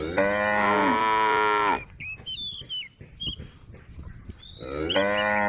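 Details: A tame female cow on a road beside rice fields gives a long, loud moo, then starts another after a pause filled with birdsong.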